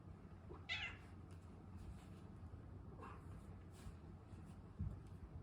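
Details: Pet cat indoors pleading for food ahead of mealtime. One short, bright meow rings out early, followed by a fainter second call and a soft thump near the end.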